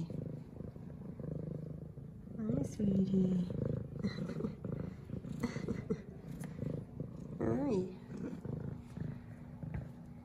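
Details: Zara, a female F2 Savannah cat, purring and meowing as she greets her owner with headbutts; low pulsing purr throughout, with short rising-falling meows around three and eight seconds, and a woman's voice.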